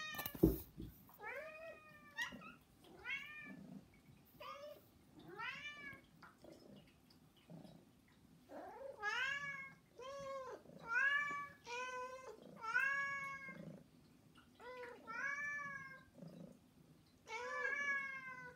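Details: Three pet cats meowing insistently for attention indoors during cat mating season; a long series of rich, arched meows about every one to two seconds, some overlapping, with a sharp knock at the start.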